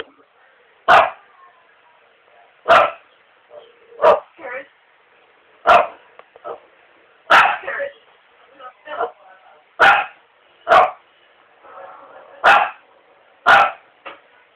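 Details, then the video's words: A household dog barks steadily, about ten abrupt, loud barks every one to two seconds, some followed by softer yips, with faint human voices underneath. "the barking dog"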